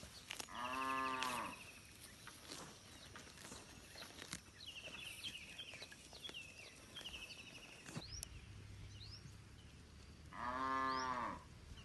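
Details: Village cattle wandering a rice field in a large herd, calling back and forth: two separate loud harmonic moos about ten seconds apart, with scattered high chirps and clicks in between.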